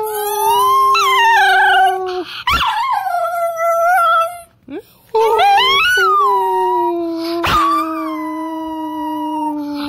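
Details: Dog howling in long, sustained drawn-out tones: a low steady note held under a higher wavering, gliding voice, broken by brief sharp yips and a short quiet gap midway.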